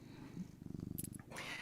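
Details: Happy domestic cat purring indoors near a person reading aloud: a short, soft, low rhythmic purr pulsing rapidly for about a second, with light rustling after.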